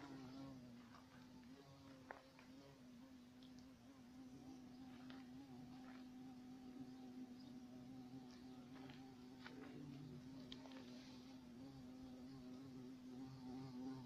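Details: European carpenter bee (Xylocopa violacea) giving a steady low droning buzz throughout, holding a constant pitch with faint overtones, while soft clicks and brief rustling sounds break in now and then.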